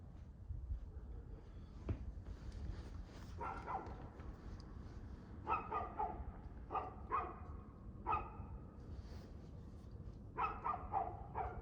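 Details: A dog barking at 6:02 pm on 2/6/2024: scattered single and paired barks, spaced irregularly a second or more apart, over a steady low rumble of background noise.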